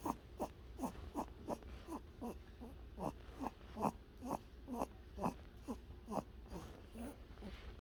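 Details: A sleeping pet bunny snoring: short soft snuffling breaths repeated about twice per second, steady and rhythmic over a low background hum.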